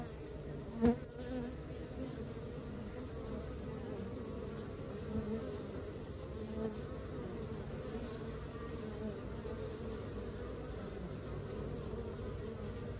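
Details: A busy honey bee colony hums in a constant low drone; a sharp click near the start and a few soft knocks break the even buzzing.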